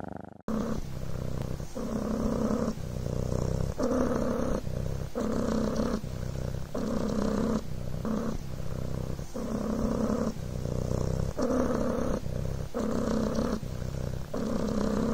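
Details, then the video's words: Devon Rex kitten Coco purring on a blanket: a steady deep rumbling buzz that swells and eases in rhythm with breathing, with about a dozen inhale-exhale cycles and no pause. "PURRING BLANKET"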